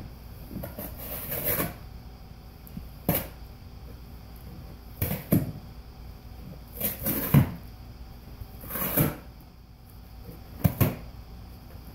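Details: Sharp bursts of ripping and tearing cardboard recur every couple of seconds in a small indoor room, with no animal call between them.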